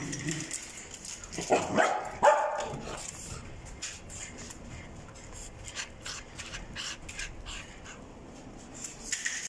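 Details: Welsh Corgi, a red-and-white male born 2020, gives two close barks early on, followed by a long stretch of faint clicks and shuffling room sounds.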